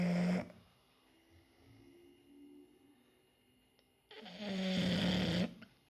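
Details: English bulldog snoring indoors, a brief rasping snore ending at the start, then a quiet gap before another loud, vibrating, low droning snore lasting over a second.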